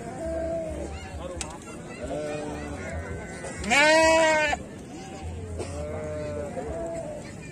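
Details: Sheep entered in the exotic category at a 2021 sheep festival in Brebes Regency, Indonesia: one loud, wavering bleat of about a second, with a few fainter bleats around it, amid men talking and crowd murmur.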